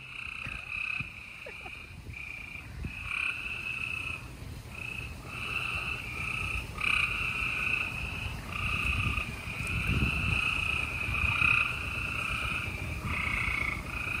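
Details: Gray treefrogs chorusing at night in Houston, Texas, on April 28, 2020, in spring: overlapping buzzy trills, each lasting one to two seconds, follow one another almost without pause over a low background rumble.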